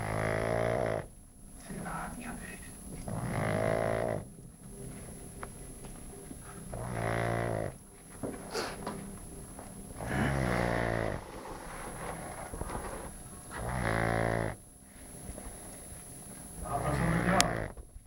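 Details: Pug named Bacon snoring: loud rasping snores in a steady rhythm, each lasting about a second and repeating roughly every three seconds, with faint speech in the background.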